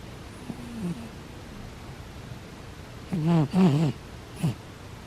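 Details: Butters, a sleeping pet cat, snoring: a short low wavering sound early on, then three loud low voiced snores with a wobbling, rising-and-falling pitch in the second half, the last one brief; quiet room between them.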